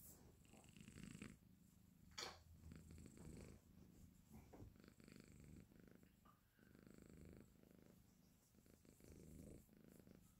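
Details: Mocha, a five-month-old male Exotic Shorthair kitten, snoring happily while asleep indoors: a low, steady rumbling purr in soft rhythmic pulses, with a few brief louder clicks and rustles breaking in.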